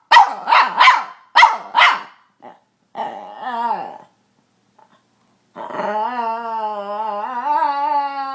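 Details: Female Boston Terrier pet dog making odd noises indoors: four sharp, harsh barks in quick succession, a couple of short growly yaps, then a long, wavering, high nasal squeal that climbs slightly in pitch toward the end.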